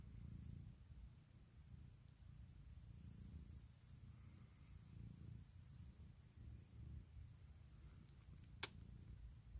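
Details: Deep, vibrating purr from Puk, a female domestic cat, who wakes her owner each morning seeking cuddles and kisses; repeated swells of low rumbling, a single sharp click near the end, quiet room.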